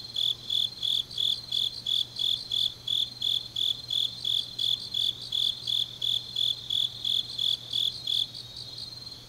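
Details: Deep-night autumn grass insects in Changnyeong, Gyeongsangnam-do, Korea: a steady train of shrill, high pulsed chirps near three per second that stops near the end, leaving a softer insect chorus and a faint low hum.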